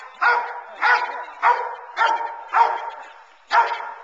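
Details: Teal, a 9-month-old female Boerboel, barking during sleeve protection training aimed at building intensity: six strong, evenly spaced barks, nearly two per second, each with a bright harmonic core.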